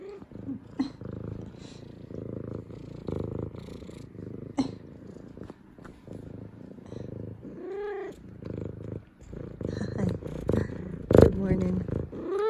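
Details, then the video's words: Zara, a female F2 Savannah cat indoors, greets her owners home from work with head nudges: steady rumbling purr throughout, broken by a few drawn-out, arching meows, with brief human voices and laughter. "Cutest Good Morning Meows From Sweet Savannah Cat Zara!"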